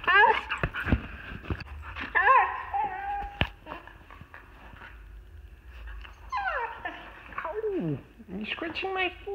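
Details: Female Siberian Husky indoors, vocalizing to ask to be let outside. She gives drawn-out, harmonic whining yowls that slide steeply downward in pitch, following shorter, choppy vocal bursts earlier on.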